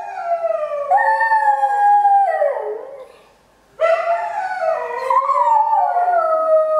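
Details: Singing pet Shetland Sheepdog giving two clear howling phrases separated by a short silence, each a sustained tone sliding downward at its end, with strong overtones.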